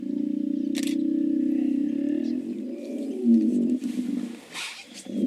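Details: Deep rumbling pulsed bellow from hippos, sustained for nearly four seconds and gradually fading, ending with softer grunts and a brief click nearby.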